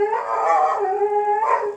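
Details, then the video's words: A German Shepherd dog, one of two kept at a sharpening shop in League City, Texas, howls in a long, steady, wavering tone with rising bends at the start and end. "Can you hear it? You can hear them German Shepherds?"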